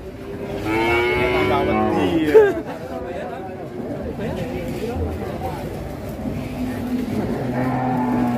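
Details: Cattle in Indonesia, just unloaded from a truck and rolling over wildly. A long, steady, low moo fills the first two seconds and a second sustained low moo comes near the end, over rough background noise.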